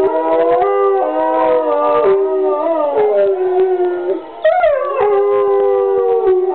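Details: Dogs in a pack chorus, one joining in: sustained mournful howls that bend and fall, overlapping voices, a brief dip near the middle, then a fresh rising howl that drops away.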